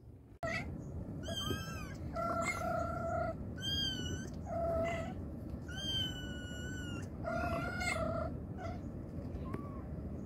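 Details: A mother cat calls to her kittens with a run of loud, drawn-out meows, about six in ten seconds, each steady and slightly falling at the end, over a constant low hum.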